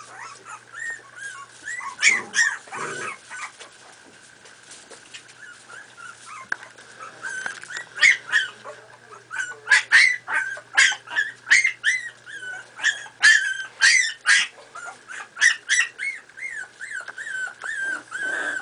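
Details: Miniature Pinscher puppies, four and a half weeks old, playing together: a litter's high arched whines and sharp yips, sparse at first, then crowding densely in overlapping bursts, over a steady faint background hum.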